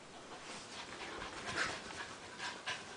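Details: Cosby, a little gray Maltichi, and Minuet, a white Maltipoo, visiting each other and play fighting indoors: quick breathy pants and huffs in short bursts, soft scuffling between them.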